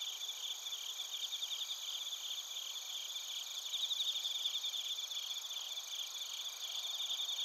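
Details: Crickets and bell crickets calling in Narita, Chiba Prefecture, Japan, recorded with a TASCAM Portacapture X8; a steady piercing ringing tone beneath rapid buzzy trills that grow louder around the middle, many insects overlapping.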